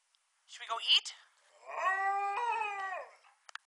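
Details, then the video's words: Hungry Alaskan Malamute at feeding time, one of two dogs: a brief yelping whine, then a sustained wavering howl lasting about a second and a half that dips and rises in pitch before fading. "Hungry Malamutes"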